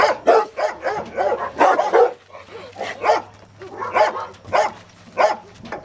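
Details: A Rottweiler in protection training, biting a sleeve for the first time, barks in rapid, deep, forceful bursts, then in spaced volleys.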